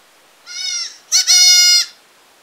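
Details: Goat in a village bleating twice: a short wavering cry, then a louder, longer nasal bleat with rich harmonics, against a quiet background.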